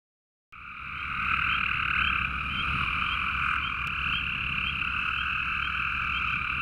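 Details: Male Cope's gray treefrogs call by a pond in a dense, buzzy chorus of fast, harsh trills, with occasional spring peeper peeps.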